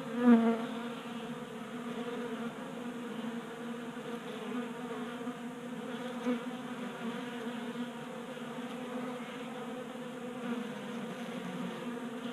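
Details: Swarm of honey bees at a table-top 3D-printed bee feeder in a Colorado garage in January, burning winter stores in late warmth; a steady, full wingbeat hum, with one louder close buzz at the start.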